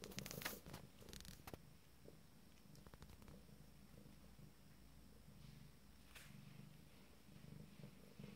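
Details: Morning exploration by 27-day-old Abyssinian kittens of a first litter: continuous low purring rumble, preceded by a cluster of sharp clicks and scratching noises in the opening seconds.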